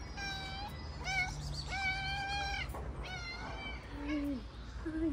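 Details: Homeless street cat in Morocco, keeping a calico cat from coming close, meows again and again: four clear, tonal meows of similar length in quick succession, then lower wavering calls, against constant low background hum.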